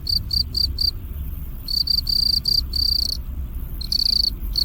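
Field cricket chirping in short, even pulses, a shrill ringing tone with a low rumble beneath.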